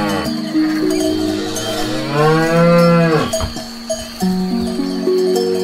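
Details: A cow grazing on grass gives a long, rising-then-falling moo amid the steady clanking ring of cowbells.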